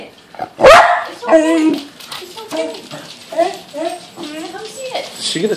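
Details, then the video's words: Lakota, a Pembroke Welsh Corgi that dislikes balloons, freaks out at a balloon indoors: a sharp bark, then a run of high, harmonic whining yelps rising and falling, with people talking over it. "Corgi Freaks Out."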